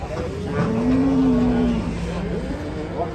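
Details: Cattle calling while being unloaded from a truck, unruly: a single drawn-out low moo lasting about a second, steady then falling away, over engine rumble and background noise.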